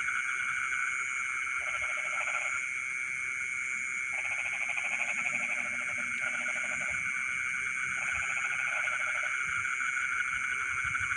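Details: Frogs calling at midnight in rice paddies, with several bursts of fast, grating pulses, each lasting about a second, separated by brief gaps, beneath a continuous ringing insect background.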